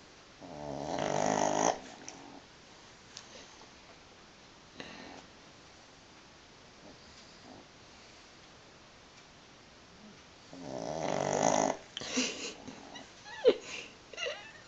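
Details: Sleeping pug, twitching in its sleep, indoors: a long harmonic rasping snore at the start, a quiet stretch with soft breaths, then another loud rasping snore followed by short snorts and clicks.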